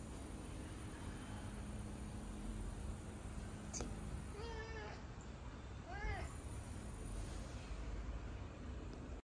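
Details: Mocha, a domestic cat that gets into fighting mode on seeing other cats, lets out two short arched meows near the middle of a quiet stretch with broad background hiss and a single sharp click.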